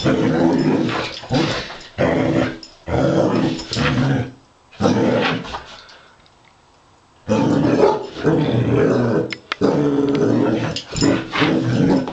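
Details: A female Basset Hound fighting and playing with a robot dog gives deep, rumbling growls and gruff barks in bursts of a second or two.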